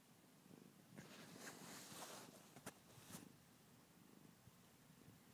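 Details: Sleeping cat snoring loudly indoors: a soft, rough, low rumbling breath repeated about twice a second, with a brief stretch of louder rustling bursts in the middle.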